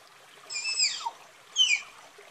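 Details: Two faint, high whistled squeals from a tapir, each falling in pitch, heard against a soft background hiss.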